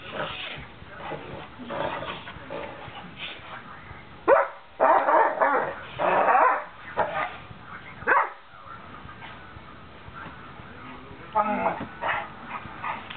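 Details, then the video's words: Great Danes at play, with loud, harsh barks and growling bursts clustered in the middle, then scattered shorter grumbles and a few higher whines toward the end. "Great Dane Play"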